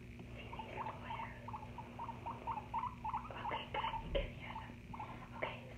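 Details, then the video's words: Pet guinea pig giving short, clipped squeaky notes in a fast uneven series, about three per second, with soft rustling and a steady low room hum underneath. "Guinea Pig ASMR"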